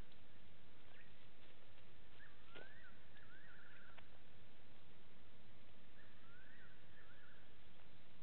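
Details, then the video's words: Side-striped jackal calling at 02:27 on 15 September 2018 beside Gowrie dam waterhole, Djuma Game Reserve, Sabi Sand, South Africa; two bursts of rising, wavering mid-pitched notes against steady background hiss. "Side-striped Jackal calling audio"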